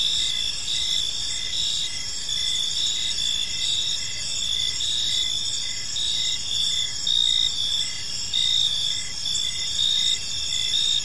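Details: Crickets chirping on an evening in a park: a steady high trilling band with pulsed chirps repeating about once a second, several insects overlapping in a continuous chorus, faint low background rumble.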